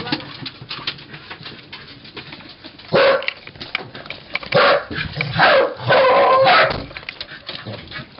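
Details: Cardigan and Pembroke Welsh corgis, recorded 13 May 2011, bark in several loud, rough bursts between roughly three and seven seconds, after a quieter stretch of low background noise.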